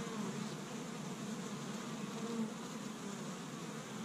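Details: Honey bees of an established hive busy on a warm spring day in Michigan, foraging pollen from tree buds; a steady mid-pitched hum of countless wingbeats, with a few louder passing buzzes.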